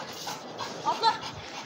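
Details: Pit bull at play, breathing in soft, breathy panting bursts with a couple of brief whine-like tonal notes near the middle and faint background voices.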